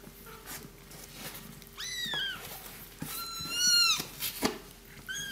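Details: Three-week-old fluffy kittens born to Miss Kitty, found tucked under a house and now cosy in a box indoors, give thin, high, arching meows: a pair near the two-second mark, a louder descending one after, then a short final mew.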